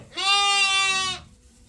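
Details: A farm sheep waiting for feeding gives one clear, wavering bleat about a second long, rich in overtones, in a quiet barn.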